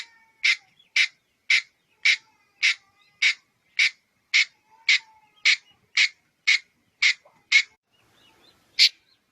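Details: Red-headed squirrel giving a run of harsh, buzzy chucks, roughly two per second, fourteen in steady succession, then a short pause and one final chuck; no other sounds.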